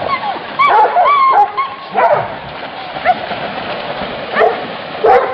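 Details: Hunting dog chasing wild boar, giving high rising yelps and short barks in irregular bursts over a steady noisy background.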